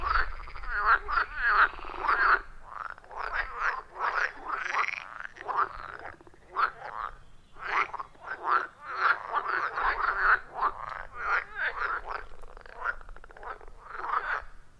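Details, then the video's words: Wild frogs at a quiet forest pond, loud rhythmic chorus recorded on an iPhone with clip-on microphone; dense short croaks about eighty-five a minute, bunched in bursts with brief gaps, no music or talking. "Frog Sounds at a Forest Pond"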